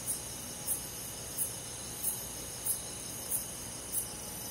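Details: High, brief cricket chirps roughly every 0.65 seconds on a summer night in a forest, set against a steady whining chorus of many insects.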